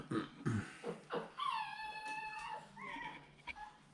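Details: Seven-week-old puppies in their pen, being fussed over while the pen is changed on 18 October 2020; a thin, high whine with stacked overtones is held for about a second, framed by short bursts of a man's soft talking.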